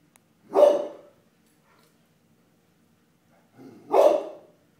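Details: A dog barking at a floor mat gives two single, abrupt barks roughly three and a half seconds apart, separated by near silence.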